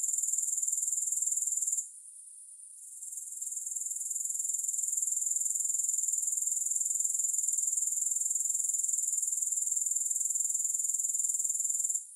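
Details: A steady, very high, hissing insect trill from grasshoppers pulses quickly and evenly. It stops for about a second near the two-second mark, then fades back in and runs unbroken to the end.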